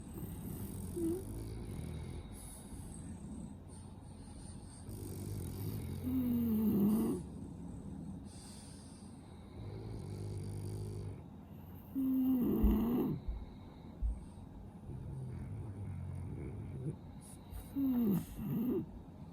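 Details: Sleeping French Bulldog with a stuffy, snuffly nose, snoring: low rumbling breaths broken by three short, higher nasal whistles that bend downward, spaced roughly every five to six seconds, over a steady low background hum.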